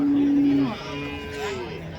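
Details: Cows at the Chalisgaon cow market on Saturday, 23 March: one steady, low, droning moo holds level for under a second and then breaks off, with market chatter and other faint lowing behind it.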